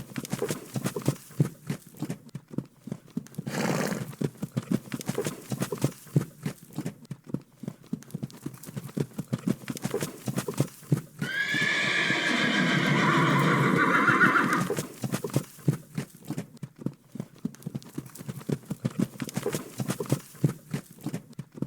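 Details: A farm horse gives a loud, quavering whinny between steady clip-clop hoofbeats.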